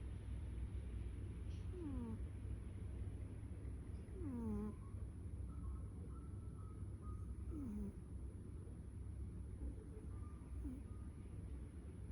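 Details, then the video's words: Snoring pet cat, each breath ending in a descending whistled squeak roughly every two to three seconds, over a constant low rumble with faint higher tones in the background. "My cat Tiger Snoring"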